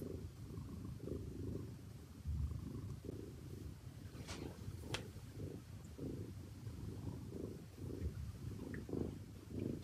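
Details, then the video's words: Low continuous cat purr, rhythmic rumbling pulses rising and falling about once a second, with a couple of faint clicks and light handling noise. "Purring ASMR"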